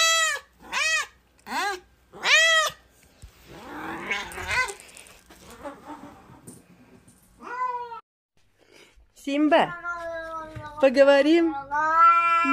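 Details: Cat, one of several cats and kittens, gives four quick high meows in a row, then a noisy stretch of rustling and faint sounds, followed by longer, lower meows that rise and fall near the end.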